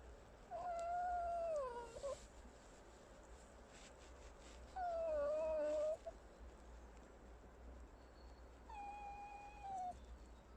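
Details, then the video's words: Pet fox making three drawn-out squeaky whines spaced a few seconds apart, each a wavering tone with a slight dip in the middle, over a constant low background hum. "Алиса лиса. 50 оттенков рыжего скрипа"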